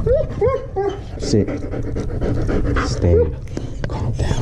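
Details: German Shepherd crying at a pet hospital during a vet visit, described as too scared: short high whimpers that arch up and fall, several in quick succession, then another later, over panting and people talking calmly to it.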